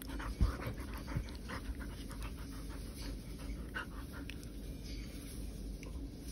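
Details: Poodle at play inside a home, rapid rhythmic panting breaths with a few louder thumps near the start, small-room ambience underneath.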